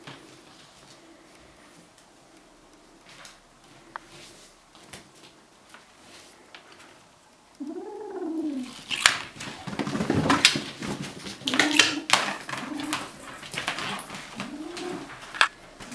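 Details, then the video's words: A quiet stretch, then a kitten keeping hold of a toy gives an owl-like hooting growl in response to threats, amid loud rattling and scraping, with one more softer hoot near the end. "Owl Kitten"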